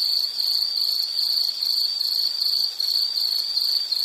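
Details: Insect calling in a steady, high-pitched, shrill trill that pulses in rapid beats, with one brief dip in loudness near the end; no other sounds are heard.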